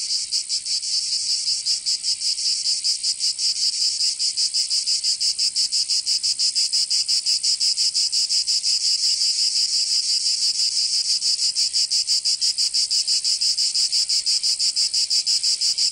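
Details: In southern France's Provence during summer, cicadas keep up an unbroken, piercing buzz that pulses fast and evenly throughout, the only sound present.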